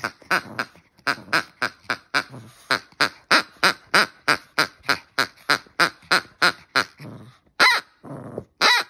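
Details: Hendo, a male Pomeranian born 20 August 2021, reacting after losing a duck race game: a rapid run of short, harsh grunting bursts about three per second, ending with a few louder, sharper yelps.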